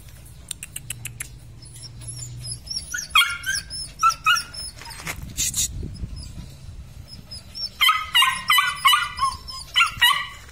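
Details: Litter of weaned Belgian Malinois puppies, red and black, including two males: repeated high, sharp yelps and whining cries in bursts, a loud run of rapid yelps near the end, with clicks and rustling between.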